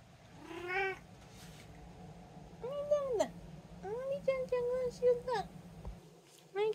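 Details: A domestic cat from a household of three, including a tabby, an Abyssinian and a short-legged Munchkin, meows repeatedly in clear arching cries, some quick and clipped, over a steady low electrical hum.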